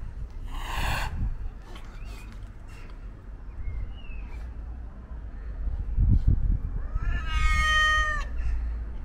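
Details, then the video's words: White and ginger male stray cat, hungry and seeking attention, gives a short breathy hiss, then faint quiet chirps, then a loud drawn-out meow with a slight rise and fall, against constant low rumble. "Stray Cat Hisses & Meows"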